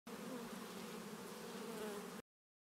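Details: Several bees feeding on honey, climbing almost fully into the honeycomb cells; a soft, steady, low buzzing hum for about two seconds, with faint wavering tones, then silence.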